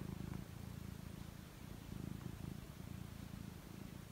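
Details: Close, steady purring from a house cat preparing for sleep: a fast, vibrating low drone, pulsing evenly and swelling gently with its breathing.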